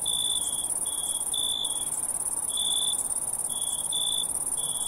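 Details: Crickets chirping: a steady, very high shrill trill runs throughout, overlaid by lower, short buzzy chirp bursts of about half a second, coming irregularly roughly once a second, with no other sounds.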